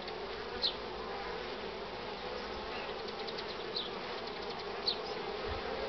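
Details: At the hive entrance honey bees jostle with pollen loads, 24 March 2019 at 9:45, bright sun but chilly; an unbroken swarm drone overlaid by several quick high-pitched fly-by whines.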